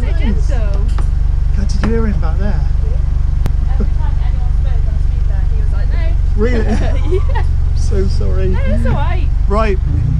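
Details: Siberian Husky at a drive-thru howling his order, a long run of wavering, yodel-like howls and short whines in bursts, over a constant loud engine drone.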